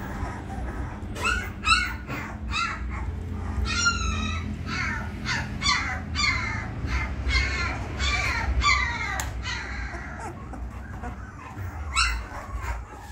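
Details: Three 20-day-old female Labrador Retriever puppies, pure bred, giving a steady stream of high, squealing whimpers, many bending up or sliding down, overlapping one another with barely a pause, over a low background hum.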